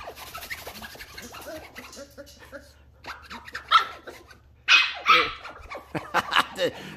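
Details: Ten-week-old Shetland Sheepdog puppy Ollie, indoors and curious, eager to attack a small dinosaur seat; a few sharp, high yapping barks in short bursts, with a woman talking softly to her in between.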